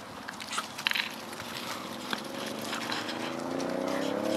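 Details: Pups of Chloe and Jericho play and explore around their den. Scuffling and soft clicks come first, then a drawn-out whine that slowly rises in pitch.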